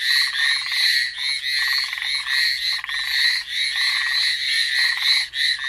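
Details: Chorus of frogs on Amami Island, Japan, Ornate Narrow-Mouthed or Hallowell's Tree Frog, packed with shrill, reedy pulsed calls overlapping continuously, rhythmic lower rattles repeating about twice a second.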